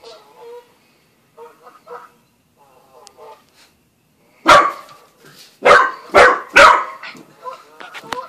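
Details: Young Australian Shepherd and Corgi mix named Buzz meets Bread Bandit the cat at home; soft whimpers and short yips open, then four loud barks burst out in quick succession near the end.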